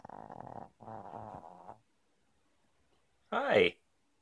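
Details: Small female dog snoring loudly while asleep one morning on 23 June 2014, though usually a silent sleeper: two rough, pulsed, buzzing snores of about a second each, then quiet and a short voiced burst near the end.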